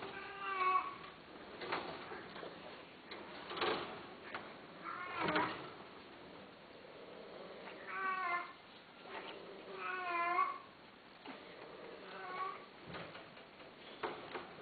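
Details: Himalayan Persian cat offered for mating, meowing repeatedly indoors: several drawn-out, harmonic-rich meows, some wavering in pitch, spaced irregularly a few seconds apart, with clicks and handling noises in between.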